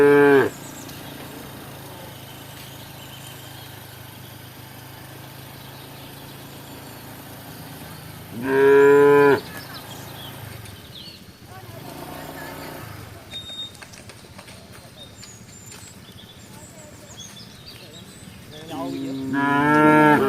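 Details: Tame cows going around Embooh village, lowing repeatedly: a moo at the outset, a loud one midway, a fainter lower one shortly after, and another rising at the end, over a constant hum of background noise.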